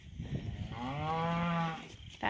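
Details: Cows and calves heading out to summer pasture on a farm; one drawn-out moo lasting about a second, a steady low voiced tone with rich harmonics that swells and fades, with faint shuffling and outdoor noise around it.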